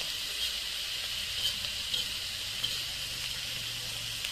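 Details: In the Nepali Himalaya, where wild mushrooms are foraged, a chorus of cicadas makes a continuous high, hissing drone. Faint ticks are scattered through it and a soft low tone runs beneath.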